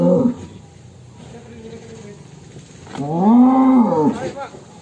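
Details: A cow dubbed The Legend of Damar Wulan, called extreme, leaves its pen. A faint call opens the recording, then one long, arched, full-voiced moo swells and fades over about a second and a half.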